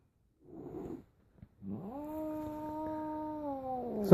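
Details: Cat, seemingly upset, makes a low rumbling growl, then a sustained steady yowl that rises at its start and holds level for about two seconds before dropping off; indoors, with a person's voice around it.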